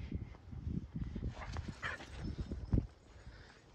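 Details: A Keeshond named Kumo grows worked up over a neighbor's cat, giving a run of low, breathy grunts and whiny huffs, faint higher tones, and a sharp thump near the end.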